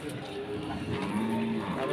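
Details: A short, level low moo from cattle at Pasar Wage market in Pati, Indonesia, where Limousin stock is traded, half buried under nearby voices and the market's background din.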